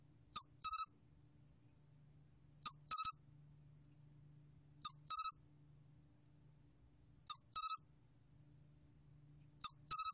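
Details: Sol-gwitturami cricket from the 2020 Korean National Institute of Biological Resources collection: a single sharp high pulse, then a quick burst of three ringing pulses, the pair repeated roughly every 2.3 seconds over a silent background.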